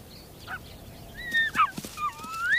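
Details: Ethiopian wolf pups at the den, eagerly greeting adults returning from the hunt: thin, high whistled whines and squeals sliding up and down, several overlapping, growing louder toward the end.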